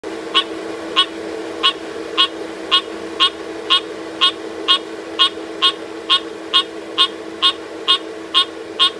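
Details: A frog gives short, sharp clicking calls at a steady rate of about two per second, around seventeen in all. A constant low mechanical hum runs underneath throughout.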